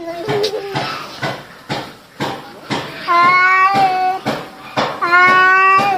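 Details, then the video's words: Indoor domestic cats fighting, an orange cat doing most of the mouthing off: sharp irregular bursts broken by two sustained, steady harmonic yowls in the second half, loud and close. "猫咪日常打架/cat fights"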